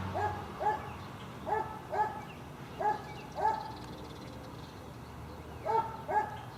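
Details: Barking from tied dogs near a dump: paired and single tonal barks repeat about every second, pausing briefly in the middle, over a low steady rumble.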